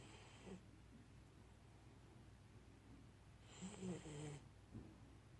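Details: An Akita puppy snores, giving two rough, rasping breaths several seconds apart.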